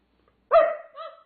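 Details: A female Doberman Pinscher barks to ask her owner to play: one loud harmonic bark followed by a shorter, softer second bark a half-second later, in an otherwise quiet room.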